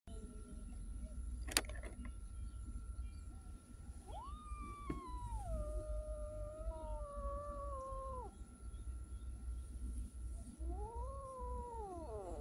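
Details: Street cat giving long drawn-out meows, one held steady for about four seconds, then a shorter wavering meow, over a low background rumble.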